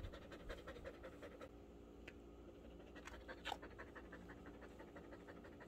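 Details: Rapo, a pet border collie at home, panting steadily in quick, soft, breathy rhythmic bursts, quiet against a low household background hum.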